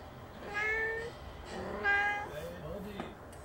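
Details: Pet cats, four in the household, begging for food on 20 March 2019; several overlapping meows, falling then level, repeated about every second, with a person speaking briefly nearby.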